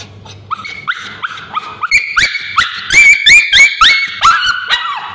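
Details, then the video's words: Male Bichon Frise with scabies screaming while a babysitter applies ointment to his tail: shrill, harmonic yelps that rise then drop, packed closely and growing louder and higher midway, about three or four per second. "Male Bichon Frise Dog Screaming when babysitter applying ointment"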